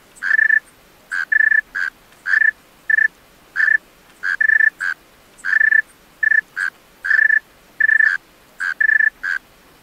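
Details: A male tree cricket sings at night in short, pure-toned trilled bursts, repeated irregularly.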